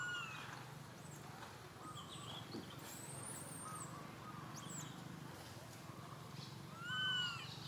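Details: A sad baby monkey gives thin, tonal cries that rise and fall, calling for its mother and asking her for milk; monkey.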